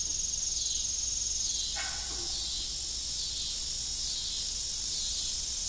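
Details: Evening cricket chorus at an old family farm beside a broken windmill, a continuous high-pitched ringing trill with a single brief crackle near the middle and faint falling chirps behind.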